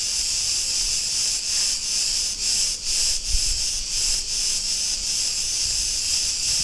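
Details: Insistent high hiss of Cretan cicadas recorded in an Ierapetra street on Crete, Greece; the buzzing chorus beats in slightly uneven pulses roughly twice per second over a faint low-pitched rumble.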